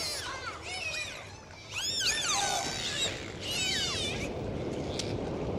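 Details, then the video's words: Underwater dolphin chorus: bursts of looping, up-and-down whistles cluster around the second and fourth seconds, overlapping one another, with low water rumble and hiss between them. "Sound of Dolphins"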